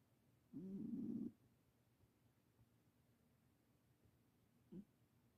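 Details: Just-adopted ten-year-old Himalayan cat snoring: one longer low rasping snore near the start, then a brief faint snort before five seconds in a quiet room.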